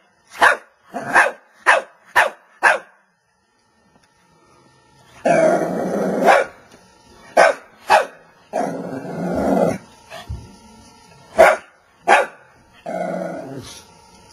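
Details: Small pet Shih Tzu, described as always ready for a fight, barking: five sharp barks in quick succession, then long rough growling spells broken by single loud barks.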